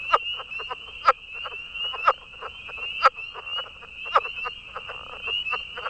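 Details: A male Atlantic Coast leopard frog (Rana kauffeldi) gives its sharp, guttural chucking advertisement call about once a second, other males calling behind with high-pitched spring peepers in a breeding chorus.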